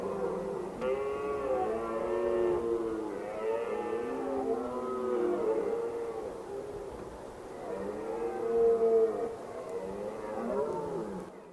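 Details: A red deer stag roars repeatedly in Valle Stura near Pietraporzio, long deep bellows with a rich, groaning tone.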